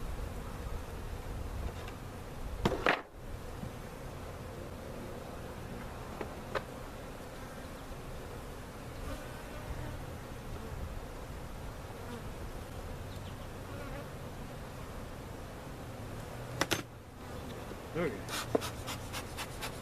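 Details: Colony of bees removed in a cutout and resettled at Jerome Bee Farm in Central Oklahoma: continuous deep, even swarm hum, broken by a couple of loud bumps near three and seventeen seconds and a rapid series of ticking clicks at the end.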